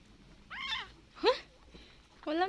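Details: Kitten abandoned on the road, being fed milk indoors: three short harmonic meows, the last rising, with a woman speaking softly between calls.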